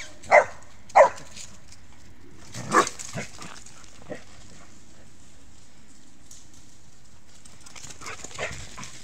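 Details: Dog Rübe at play with a ball and a second dog, August 2018: two crisp barks about half a second apart, a softer yelp, then mostly quiet with faint rustling and a distant bark.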